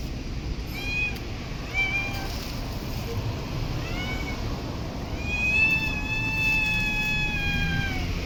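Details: Street cat in an urban park meowing repeatedly: short bent meows early, then one long sustained meow around the middle that slowly falls at its end, over a soft background hum of traffic.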